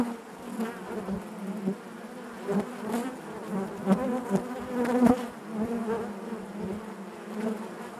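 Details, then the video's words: Honey bees humming inside their hive, a dense steady drone with a strong low fundamental and stacked harmonics, swelling and dipping in loudness with brief louder passes of individual bees close by. "bees therapy hive natural buzzing sound"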